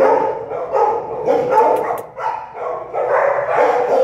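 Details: A continuous chorus of shrill puppy yips and barks from American Staffordshire Terrier puppies born at an animal shelter, several pups calling over one another with barely a break.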